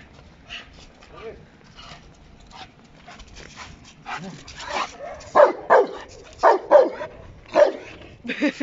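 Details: Working Giant Schnauzer, a male in training at a dog academy, barking during a bus scenario exercise: a burst of loud, sharp barks in the second half, roughly one every half second, after quieter movement and a man's voice.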